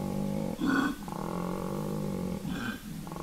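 A koala bellows, a deep rasping snore-like drone broken by two louder, harsher belching bursts about two seconds apart.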